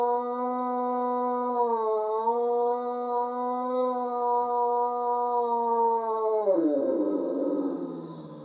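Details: Great Dane howling on a Sunday morning indoors: a long, steady, rich-toned howl held for over six seconds with a slight dip midway. It then breaks into a rougher, lower, wavering tail.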